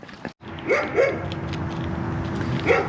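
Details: Dog barking nearby at night in a backyard where raccoons and a skunk feed; the bark scares the raccoons away while the skunk stays. Two short barks near the start and another near the end, over steady background hum, with a man speaking.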